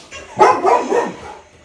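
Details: Retriever dog indoors barking angrily at a played big-cat roar, a short burst of two or three rough, overlapping barks within about a second.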